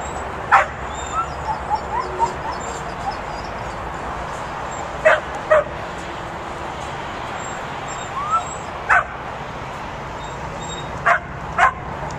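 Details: Pit bull puppy herding sheep gives short, sharp barks in scattered ones and pairs, near 0.5, 5, 9 and 11 seconds, with long quiet gaps over a steady low background hiss.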